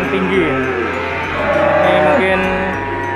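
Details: Peranakan Ongole feeder cattle at a sale site; short stepped lowing calls give way to a longer level moo midway, other cattle faintly audible, background music running throughout.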